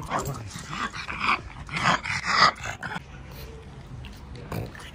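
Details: Pangpang the pug, a pet dog, snorting in a small indoor room: a series of rough, breathy bursts over the first three seconds, then quieter with one more short snort near the end.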